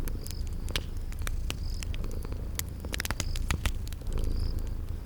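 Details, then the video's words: A sleeping cat purrs in a soft low drone while a fireplace snaps and crackles loudly and high garden insect chirps recur in the background. "Relax with Cute Sleeping Purring Kitties"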